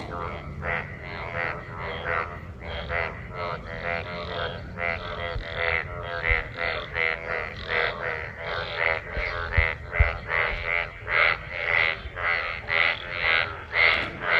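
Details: After monsoon rain, a large group of frogs in gathered water calls during mating; nasal, buzzy croaks repeated about twice per second, overlapping voices growing stronger toward the end.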